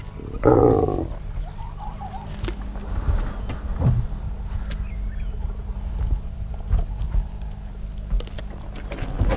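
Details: Hyena clan feasting on a wildebeest carcass, squabbling among themselves and with vultures; a sudden harsh, roaring growl bursts out near the start, followed by scattered quieter grunts over a steady low rumble.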